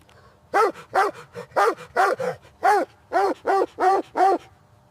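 Kittens mewing in a quick, uneven series of short, high, rising-and-falling meows, about two each second, with nothing else clearly heard.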